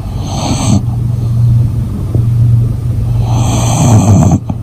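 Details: A fast-asleep female English Bulldog snores in a low, continuous rumble, with slight rasping swells in each breath. A brief higher hiss sounds at the start and again near the end.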